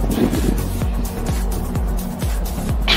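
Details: Loud music over engine and vehicle noise, with a low rhythmic thumping beat and a brief hiss near the end; no animal voice is heard.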